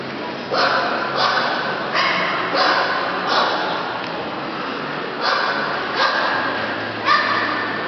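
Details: Dogs at a breeding kennel barking loudly: a steady run of sharp barks about every 0.7 seconds, with a short pause near the middle before the barking resumes.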